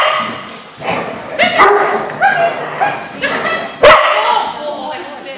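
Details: Big dogs gathered at a social on May 4, 2014; several loud, harmonic barks and yips come in a loose irregular series, with human speech and background noise in between.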